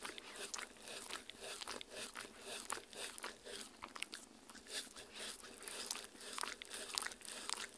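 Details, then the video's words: Dog eating homemade Halloween jello worm treats made of strawberry, meat, agar-agar and water, recorded indoors on a Tascam R-40 for ASMR; rapid wet crunching and chewing bites, roughly two per second, in a small quiet room. "JELLO WORMS Fun Halloween Dog Treats ASMR Eating Sounds"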